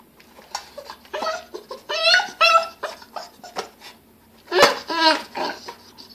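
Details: Seven-week-old Bull Terrier puppy making funny noises with food on its second day: short squeaky, harmonic whines and squeals in uneven bursts, with soft grunts between them, heard indoors in a small room.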